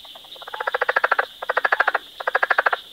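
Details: Frog calling in three quick trains of rapid, evenly spaced clicking pulses, each burst lasting under a second, over a steady faint hiss.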